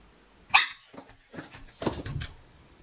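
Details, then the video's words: Female Miniature Pinscher home alone with separation anxiety lets out one sharp, high bark, followed by softer whines and a second rough bark with yelping. "SEPARATION ANXIETY- How my Dog is Acting When i Leave Her Home Alone | Miniature Pinscher"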